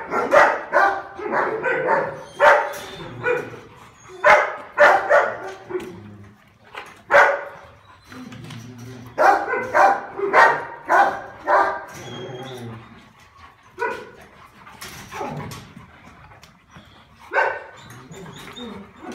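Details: Male Rottweiler, dated December 16, barking in quick bursts of several loud barks, with brief pauses between clusters, over about twenty seconds; a human voice is faintly present.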